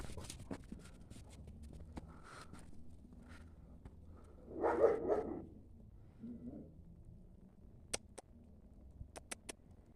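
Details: German Shepherd named Linda, a female that was to be bred but was not, kept with a young male while the dogs are restless; a short burst of two or three rough barks midway, then quiet with scattered clicks and taps.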